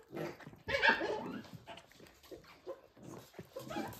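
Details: Playing Pembroke Welsh Corgi puppies, born 31 January 2023 and filmed live on 17 March 2023, give rough, throaty yapping and growly bursts, loudest near the first second, with scuffling between them.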